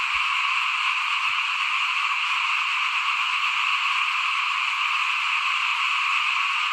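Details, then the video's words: Many frogs calling together in front of a home while rice is sown ahead of the 2021 planting, a constant rasping high-pitched chorus without breaks, a faint low tone briefly audible midway. "เสียงเขียดร้องหน้าบ้าน ตอนหว่านข้าวเตรียมปลูกปี2021"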